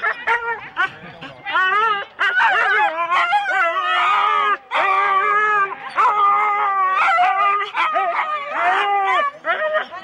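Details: Four-dog Husky teams at a sled start, Rendlesham, January 2016, keep up a continuous loud clamour of sustained howling whines and sharp barks from several dogs, pausing only briefly twice.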